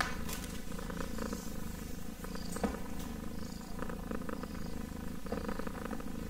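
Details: Kitten purring steadily, a dense low vibrating rumble that pulses without pause, with faint rustling and light clicks on top.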